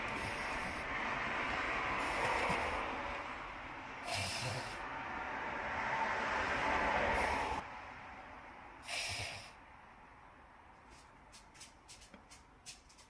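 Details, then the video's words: Nana, an elderly papillon dog, sneezes in a short series of five sharp, breathy bursts spread over about ten seconds, over a steady low indoor hum, with faint clicks near the end. "動けない。高齢だから？パピヨンは多い？Dog sneezing"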